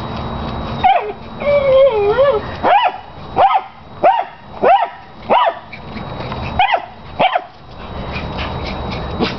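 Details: Pet dog playing obsessively with a big tennis ball gives sharp, piercing barks, about nine repeated at uneven intervals, with whining, yipping sounds early on and a smaller chihuahua's zoomies in the background.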